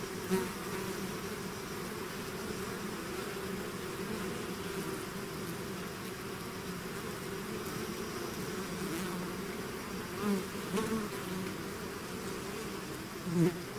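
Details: Bee swarm leaving its hive: a sustained low humming drone from many bees, nearly level throughout, with a few close insects flaring louder near the end.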